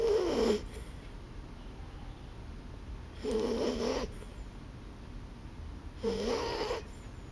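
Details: Sleeping dog snoring: three rasping, breathy snores roughly every three seconds, each sliding downward in pitch, with quiet room hiss between them.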